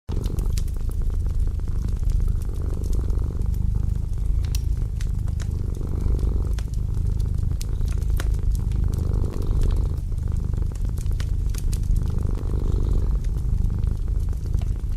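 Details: A domestic cat purrs steadily beside a winter fireplace, a low rumble swelling with each breath, over a crackling fire.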